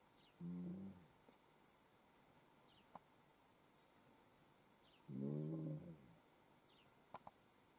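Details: A relaxing lion gives two short, low, harmonic moaning calls about four seconds apart, the second longer and richer than the first, with a few sharp clicks in between over a quiet, steady background.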